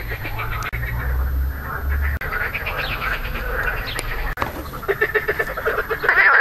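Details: Marsh frog (Pelophylax ridibundus) croaking on 2 June 2013, calling with grey inflated vocal sacs; dense, rattling pulsed croaks over a low rumble, with quicker bursts of clicking pulses toward the end.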